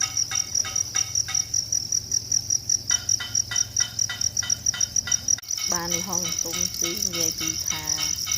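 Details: Wild cricket calling in nature: a steady, high-pitched pulsing trill with louder chirps repeating roughly twice a second, then a man starts talking over it for the last few seconds.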